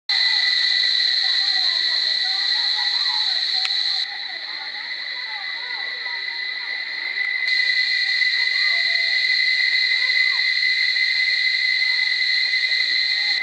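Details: Cicadas in Barichara sing in a loud, unbroken, shrill drone with a high buzzing overtone. The chorus softens briefly after about four seconds, then swells back to full strength; faint chirps and twitters sound beneath.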